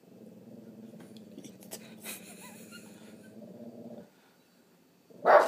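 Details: Boston terrier frenchton acting as a watchdog indoors with its hair up, giving a long low rumbling growl for about four seconds, then silence and a single sharp loud bark at the end; people talk quietly nearby.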